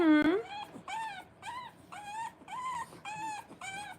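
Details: French Bulldog puppies three weeks old, whelped indoors, give a steady run of short whining whimpers, each a brief rising-falling tone repeated about every half second, after one sharp higher yelp at the start.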